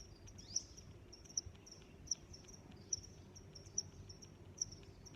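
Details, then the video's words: Crickets give crisp, high-pitched single chirps at an even pace, about one every 0.8 seconds, with a faint continuous high trill and quiet low rumble beneath. "Sounds of Crickets"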